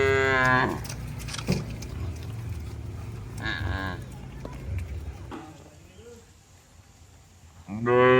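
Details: Cattle herded back to the shed in pouring rain; a moo trails off at the start, fainter lowing follows in the middle, and another loud moo starts at the end, with rain noise throughout.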